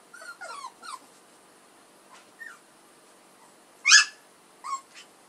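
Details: Whimpering puppies of Edhel and Berry: short squeaky sliding whines and one louder, harsher yelp near the end, spaced by brief silences.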